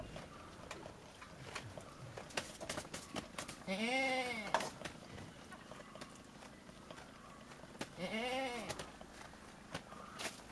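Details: Domestic goat at milking time, when the young goats are let feed first, giving two loud, drawn-out wavering bleats about four seconds apart, with soft clicks and handling noises between them.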